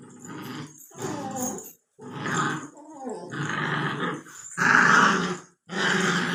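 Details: Two-month-old Labrador Retriever puppy, aged 64 days, growling in noisy, grating bursts that grow louder and harsher toward the end, with brief silent gaps between the six outbursts.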